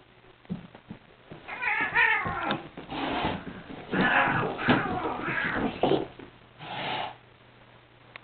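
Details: Domestic cats fighting, a blond adult and a kitten: long wavering, rising and falling yowls and screeches in overlapping bursts, with harsh noisy snarls between and short pauses near the end.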